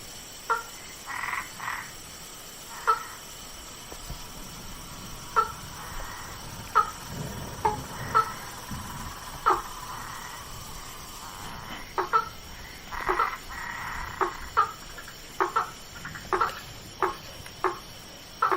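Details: Frog calls in a swamp at night: short, knocking notes repeated at irregular intervals of one to two seconds, several callers overlapping against a steady background hum of insects.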